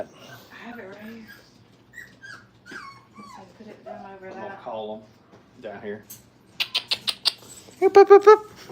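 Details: Crate-training Brittany pups aged five weeks whimper softly and irregularly, then give a run of short sharp yips and a final bright, rising cry, with quiet speech underneath.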